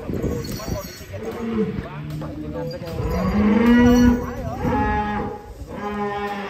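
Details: Huge champion cow Rossi bellows in long, resonant moos that rise and hold a steady pitch, several overlapping calls over about six seconds, with people talking nearby.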